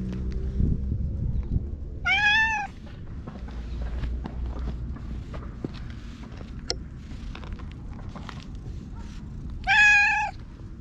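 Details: A free-roaming ginger tabby cat rubs against a person and is groomed with a brush. Two clear, wavering meows come about eight seconds apart over low handling noise and soft rustling. Recorded on a GoPro.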